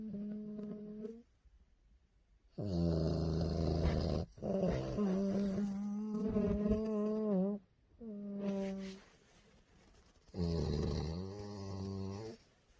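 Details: A tired bulldog asleep, snoring loudly indoors: long droning, nasal rumbles with a humming tonal edge, in several breaths separated by short quiet pauses.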